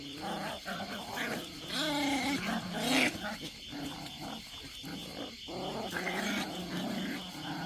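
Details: Pungsan dog growling during a fight over rank: low, rumbling harmonic growls with rising and falling pitch, broken by brief sharper snarls and yelps around the middle, over a steady background hiss.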